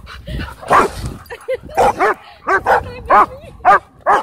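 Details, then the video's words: A dog park during play: rapid barks and a few rising whine-like yips follow one another steadily, about three per second at the end. "Crazy Dog Park Play"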